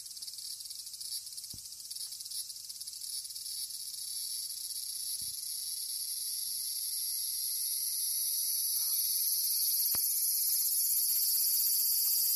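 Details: A cicada's shrill, unbroken buzzing starts close by and swells steadily louder as a cat hears it and tries to get as near as possible.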